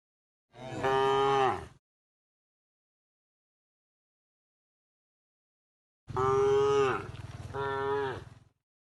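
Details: A tame cow resting on a path at the forest edge on its way to the pen gives a long, deep, droning moo, then after a pause two more in quick succession.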